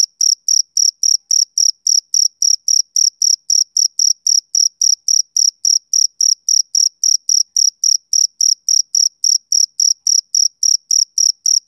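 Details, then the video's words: Male cricket chirping on a summer evening: steady, high, clean pulses of chirps repeating about three to four times a second, evenly spaced over a silent background with no other sounds. "Cricket Chirping Sound Effect"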